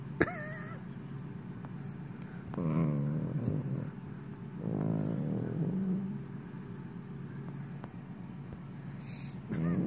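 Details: A sleeping Italian greyhound snores with slow, low, rumbling breaths spaced a couple of seconds apart. A short, high, wavering squeak comes near the start, and a sharp click comes at the end.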